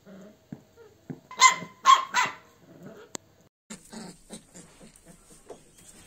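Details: Bakarwal dog of pure line giving three loud, sharp barks in quick succession mid-recording, framed by softer scuffling, a click and low background noise.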